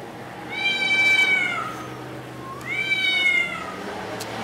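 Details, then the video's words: On Spetses, Greece, a red tomcat guarding his territory utters two long, loud meows about two seconds apart, each starting high and steady, then sliding downward at the end. "Kater spricht und singt, speaking and singing red cat, defends its territory"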